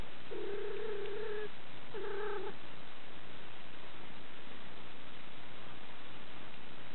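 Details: Male pet cat purring while a girl caresses him until he is completely relaxed: a steady low rumble throughout, with two drawn-out tonal notes early on, the second shorter.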